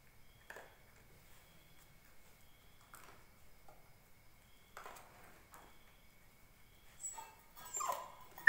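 An Indian Spitz puppy gives soft, brief whimpering cries with quiet pauses between them.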